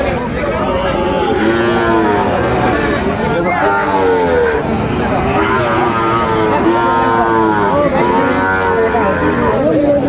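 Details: Mooing cattle fill the Aftabganj market in Dinajpur as Sahiwal calves are sold at the start of trading on 2 September. Arching moos repeat every couple of seconds over a busy background of talking buyers and sellers.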